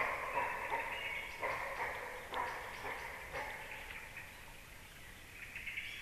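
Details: A deer barks near a black stork nest at 19:31, giving short, hoarse barks about a second apart over a steady background hiss.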